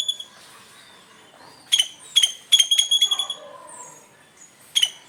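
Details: A squirrel gives sharp, high chips in quick bursts in the morning, with short pauses between runs.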